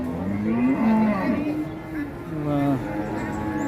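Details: Market cattle in Ngawi, Indonesia, being bought up and trucked out of town. A long, low, rising-and-falling moo sounds twice, the second shorter, with murmured voices and faint music underneath.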